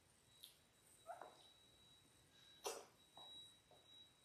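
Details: Six ten-day-old Labrador Retriever puppies, born January 18, 2022, filmed indoors on a live puppy cam; a handful of faint, short squeaky whimpers come in scattered bursts over four seconds, with a steady thin high electronic tone behind.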